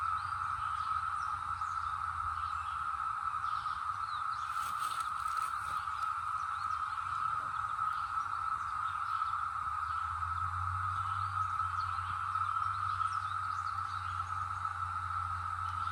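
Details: Brood X cicadas in the North Georgia mountains, 2021, make a steady, unbroken drone at one even pitch, with a faint low rumble beneath; cicada.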